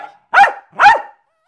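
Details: Two clipped, evenly spaced barks from Milo the Jack Russell terrier while performing tricks, with a brief start of another sound at the end.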